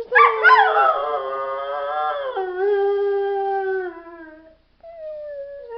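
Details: A dog howls in one long sustained note that starts with a wavering rise, holds steady for several seconds, then slides down and fades; after a brief pause a second, softer howl begins.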